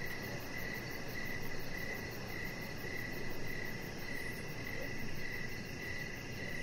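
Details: Crickets chirping in the evening outside by a deck. A steady train of short chirps recurs about twice per second, backed by an unbroken high insect drone and a continuous low, noisy rumble.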